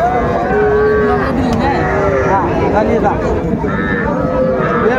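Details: Young bulls and heifer calves at a twice-weekly cattle market in Faridpur, Bangladesh, on 4 September 2024; overlapping drawn-out moos rise and fall among many animals, with a steady din of traders' voices and market bustle throughout.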